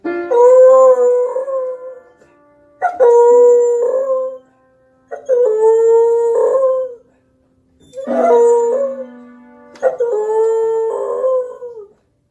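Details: A male beagle 'sings' along to piano in a series of drawn-out, tuneful howls that waver and slide slightly in pitch. Each howl lasts about two seconds, separated by brief silences, with faint piano notes behind.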